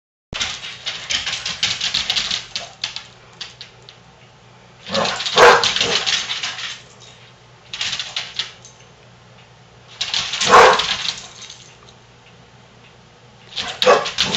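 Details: Basset Hounds named Daisy and her foster sister Big Molly playing indoors; bursts of rough, growly barking and play noises in clusters separated by quieter gaps, with a steady low hum underneath.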